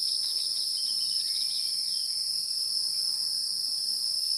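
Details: Wild insects: an unbroken, even, high-pitched ringing tone in two piercing layers, steady throughout with no pauses, and a few soft faint chirps barely audible beneath.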